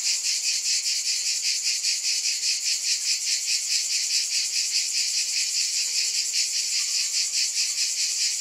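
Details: High-pitched cicada buzzing, dense and sustained, swelling and fading in quick regular pulses, with a few faint lower chirps late on.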